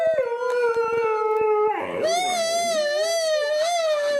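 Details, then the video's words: Pet dog howling in reaction to an annoying sound played to it: one long, steady, drawn-out howl that bends upward, joined after two seconds by a warbling, wavering higher tone. "funny sound to annoy your dog affect on your dog"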